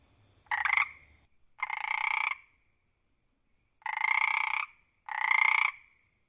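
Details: A tree frog in the wild croaks loudly with four harsh, rattling croaks, each under a second, separated by short pauses.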